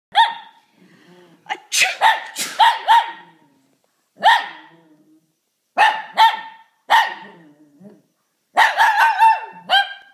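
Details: Shih Tzu barking in response to someone sneezing: bursts of sharp, yappy barks in quick clusters of three or four, separated by short silences, with a faint soft whine between bursts.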